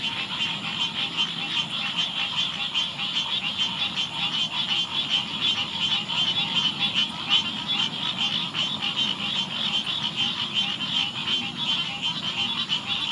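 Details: Green Tree Frog (Dryophytes cinereus) on large rushes at the edge of a big pond, Eastern Glades, Memorial Park, Houston, Texas; dense continuous chorus of other tree frogs with rapid pulsed nasal calls, many per second, steady throughout.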